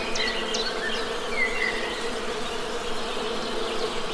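Honey bees make a steady, low, droning hum, with a few faint bird chirps high above.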